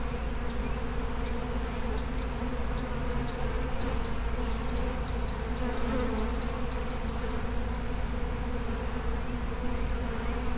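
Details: Feral honey bee colony buzzing in a steady, unbroken drone with layered low hum tones, constant in loudness throughout, with no other sounds standing out.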